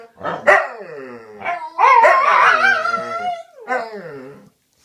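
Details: Dogs talking to each other: a run of harmonic whining howls, one long wavering note rising and falling, broken by short yelping barks in a small indoor space.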